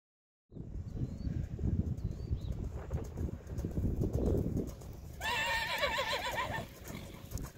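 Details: Grey Belgian Warmblood filly born in 2019, at her BWP keuring: steady hoof clip-clop and shuffling, then one loud wavering whinny lasting about a second and a half with a quavering high tone.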